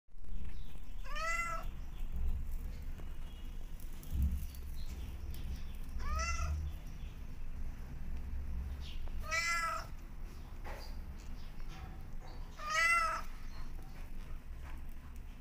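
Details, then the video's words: Mother cat calling her kittens back to her, giving four clear drawn-out meows spaced roughly three to four seconds apart, each bending upward then falling, over a steady low rumbling background. "Obedient Kittens Running Back To Mother Cat When She Calls Them Back"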